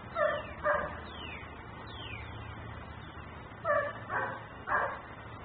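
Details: Dog left outside, described as a nuisance barker, captured by a camera recording in Mecklenburg: two pairs of loud, harsh barks followed by a single bark, with high descending chirps in between over a steady low background hum.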